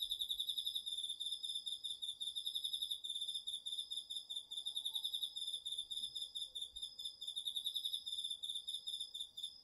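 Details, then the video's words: Nighttime autumn insect chorus in a garden field, crickets among them, recorded with a DR-40X. High pulsed trills run continuously in overlapping layers, their rhythm pulsing in quick regular beats throughout. "秋の虫の声 ASMRでおやすみなさい 〜虫の音を枕元で聞いてね〜 こおろぎ他"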